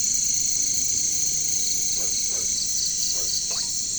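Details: Caricangkas, bush crickets of the jungle, hold a constant shrill high drone, while four soft downward croaks from frogs appear in the second half.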